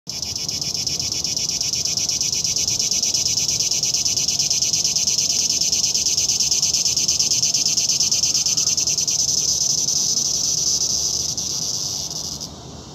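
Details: Cicada. A cicada delivers a steady, intense, shrill buzzing drone, pulsing rapidly and holding an even pitch for over twelve seconds. The song cuts off suddenly near the end, leaving only faint background hiss.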